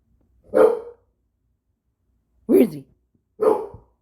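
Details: Domestic dog barking at a wall, three clear barks: one single bark, a two-second pause, then two quick barks close together.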